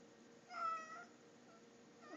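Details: Pet cat calling to its owner indoors with a short, slightly falling meow, then quiet room sound while the owner speaks of having already fed it.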